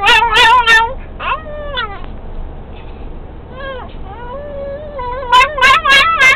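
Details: Excited pet dog singing once a VW Beetle gets moving: bursts of quick yipping notes alternating with drawn-out falling whines, over continuous low car engine noise.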